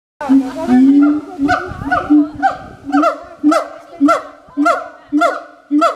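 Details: Siamangs at the Berlin Zoological Garden, captive, giving loud repeated calls about once a second, each a barking note with a flat tone near the bottom and strong upper bands, building into a regular series.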